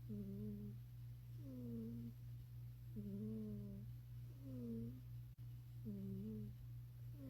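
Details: Happy cat asleep, giving cute little snores: five soft, tonal, squeaky notes, each under a second, gently rising or dipping and roughly evenly spaced, over a steady low electrical hum indoors.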